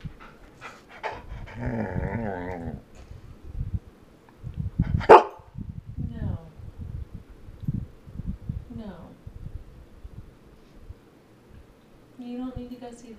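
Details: Female Golden Retriever kept with chickens, vocally arguing over bedtime: a drawn-out, wavering, howl-like grumble, then shorter whining murmurs, with a person talking in between.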